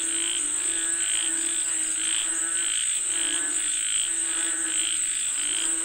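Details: Frogs calling for the rain, many voices croaking in a rhythmic, repeating chorus, about one burst per second, against an unbroken high-pitched insect hum.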